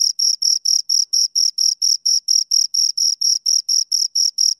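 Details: Pair of crickets producing a regular shrill chirping, quick even pulses about four each second, high-pitched with a thin upper overtone; no other noise present.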